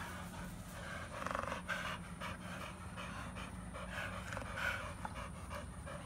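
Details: Heavy, steady panting by an American Bully kept with a Pitbull, the dogs Beats and Maxx; soft hoarse breaths repeat continuously against a faint electrical hum.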